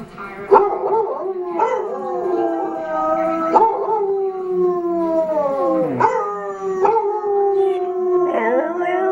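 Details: Pet dog Arran singing, as he likes to do with other dogs: long sustained howls holding a steady tone with rich harmonics, each breaking off with short yelping onsets and bending pitch, following one another every second or two.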